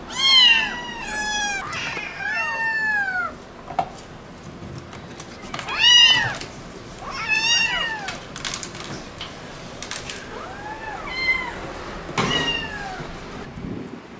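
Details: Motherless kittens taken in from the street, waiting while wet cat food is prepared for them, give bursts of high, arching meows, sometimes two voices close together, with quieter stretches, clicks and household clatter between calls.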